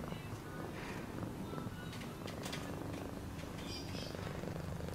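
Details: A cat's low, even purr rumbles underneath, overlaid with faint higher tonal sounds and brief clicks.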